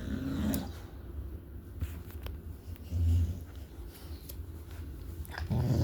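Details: Low, rumbling dog growl, one of the pets Shelby and Cassie, coming in short swells near the start, around the third second and at the end, with quieter low rumble between.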